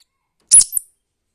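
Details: Baby squirrel giving a single sharp high chirp, a bright burst lasting a fraction of a second followed by a brief softer tail, with silence around it.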